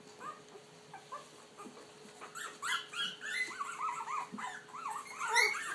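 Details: Puppies trying out their voices, starting with soft scattered whines, then a run of rising-and-falling arched whimpers growing louder and more frequent toward the end.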